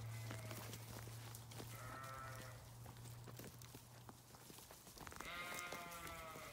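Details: Sheep bleating twice, a wavering harmonic bleat near two seconds and a longer one toward the end, over a steady low hum and scattered clicks and knocks.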